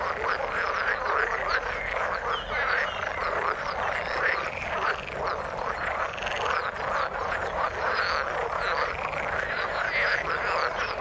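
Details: Frogs calling in the water, a dense continuous chorus of overlapping croaking calls with arching, rippling notes packed in the mid range, steady loudness throughout.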